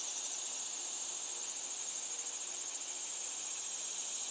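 A chorus of cicadas keeps up a continuous, sizzling whine high in pitch, with a faint pulsing shimmer but no breaks. The sound is intense and unbroken from start to finish.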